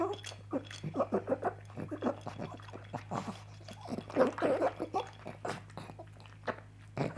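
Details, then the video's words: Pug named Coco at breakfast enjoying her favorite sausage; rapid sloppy gulping and smacking pulses, about three per second, some with gargly snorting, over a constant low electrical hum in a small room. "The Weird Sounds a Pug Makes While Eating."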